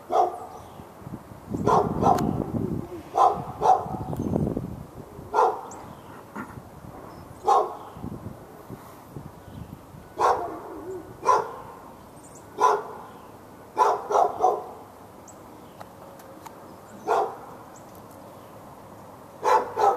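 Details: Dog in a yard in Raleigh, North Carolina, barking nonstop at the dog next door and other dogs within earshot, February 15, 2012. Irregular single and paired barks every one to three seconds over twenty seconds, with a low rumbling background early on.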